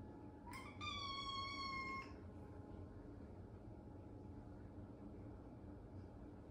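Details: A lonely Ragamuffin cat that comes into the bath utters one steady, fairly level meow lasting just over a second, then quiet room noise with a faint hum.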